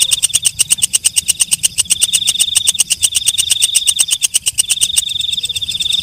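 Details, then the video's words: Walang kecek, a night katydid, calling after dark: a rapid train of sharp dry ticks, several per second, over a steady high, thin ringing tone that breaks off near the end. "Suara Walang Kecek/ Belalang Malam"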